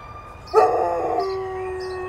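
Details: An 8-month-old Alaskan Malamute howls in response to sirens: one loud, steady, tonal howl beginning abruptly and held level, with a wailing siren sounding throughout.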